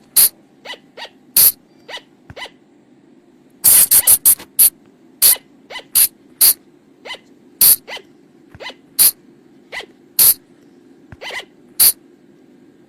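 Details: Night lure sound of a flying lemur in the forest: repeated sharp, airy bursts, some with a faint tonal squeak, coming irregularly with one quick flurry near four seconds, low background hum throughout.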